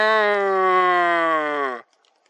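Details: Red deer stag roaring during the rut on a marsh, 17 September 2024, one of several bulls recorded the same day; a single drawn-out tonal bellow of almost two seconds, rich in harmonics, sliding slowly lower before stopping abruptly into silence.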